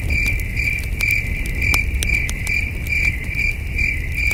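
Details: Crickets chirping at night by a starry wilderness campsite, distant, beside a campfire: steady high pulsed chirps repeated about twice a second, with sharp crackles and pops of burning wood and a low rumbling breeze underneath.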